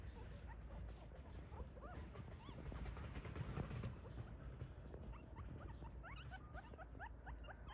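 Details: A litter of puppies in a family orchard whine and whimper together, many quick upward-sweeping squeals overlapping throughout, growing denser toward the end, with a low steady rumble underneath.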